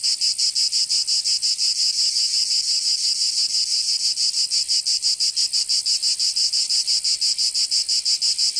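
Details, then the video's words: Cicadas in Provence, southern France, during summer: an intense high whirring drone broken into fast regular pulses, roughly three each second, steady and unbroken from start to finish. "Canto Cigarra 🦗 [ Escuchar les cigarras en verano 10 H]"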